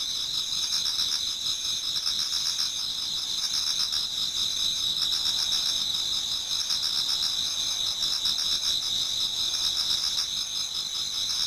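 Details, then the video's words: Autumn insect chorus in a Japanese garden as dawn approaches: many high trilling singers blending into a continuous shimmering drone, with faint pulsed chirps coming and going. "Autumn Insects voice Towards dawn"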